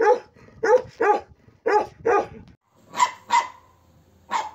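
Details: Big lion-head Bakarwal dog, kept alongside puppies, barking in irregular pairs of deep, rough barks, then higher, clearer barks after a short silence.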